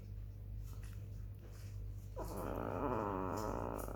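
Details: Sleeping black female chihuahua, recorded 18 July 2021 at 21:07, lets out one long, fluttering, rattly snore after a quiet stretch, over a constant low background hum.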